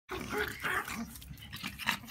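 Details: Dogs in Veracruz, 2017, giving a short run of harsh barks and growly yelps lasting about two seconds, closely spaced and rough-edged.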